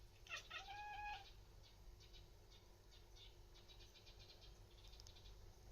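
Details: Pet cat indoors chattering at a bird seen outside, also yawning; one short wavering meow-like cry near the start, then faint scattered clicks against a steady low room hum.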